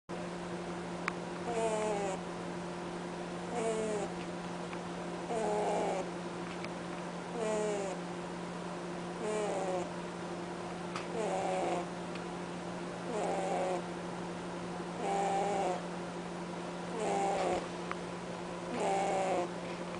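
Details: Pet rabbit honking while asleep: short nasal, harmonic snorts repeat about every two seconds in a steady breathing rhythm, each a slightly wavering tone over a constant low electrical hum.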